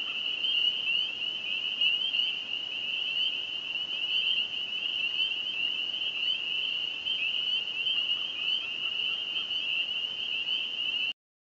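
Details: A dense spring chorus of spring peepers at a small lake near Burwash, south of Sudbury, Ontario, Canada, in the evening of May 9, 2015, countless high, piercing peeps merging into one steady shrill ring.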